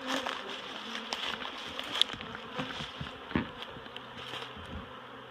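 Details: Honeybees being relocated from a barrel to a new home at Miss Bee Haven give a dense, steady swarm hum with scattered clicks and knocks from handling.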